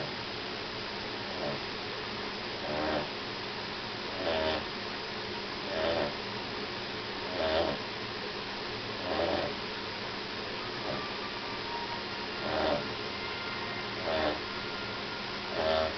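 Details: Charlie, a dog who needs to lose weight, sleeping after a walk: soft, rasping snores recurring about every one and a half seconds over a steady background hiss.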